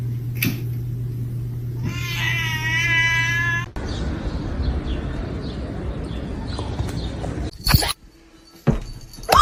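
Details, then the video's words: Kitten's single loud, steady meow lasting under two seconds, rich in harmonics, over a low hum. Rustling noise, sharp knocks and faint voices follow. "kitten meowing call"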